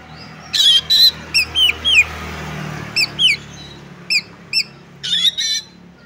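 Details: Oriental magpie-robin fighting song for testing another bird's nerve: sparse loud harsh bursts and short downslurred whistled notes spaced irregularly, over a steady low hum.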